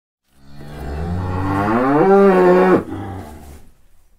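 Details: One sustained bovine moo, deep and buzzy with many harmonics. The pitch swells upward in the final second, then the call breaks off suddenly and dies away in a soft trailing rumble.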